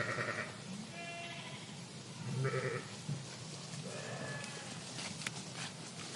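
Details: [['Sheep flock bleating in a park, several short nasal bleats from different animals in quick succession, some fainter and farther off, with steady outdoor background hiss and a few clicks.']]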